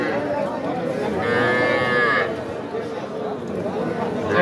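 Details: Young bulls and heifer calves at Aftabganj livestock market, Nawabganj, Dinajpur, on 5 September. A short, harmonic, nasal moo lasting about a second sits amid constant market chatter and men's voices.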